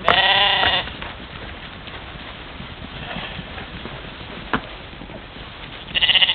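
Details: Morning herd of European mouflons playing by a waterhole, Czempiń forestry district, Wielkopolska, Poland, filmed by trail camera on 13 July 2018; a loud quavering bleat opens, then quiet rustling, and another bleat begins at the end.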